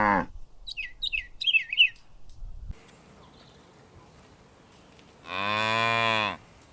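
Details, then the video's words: Cow in a green countryside meadow, foraging: bright bird chirps at the start, a pause, then a steady, rich, sustained moo of about a second near the end. "The sound of cows mooing"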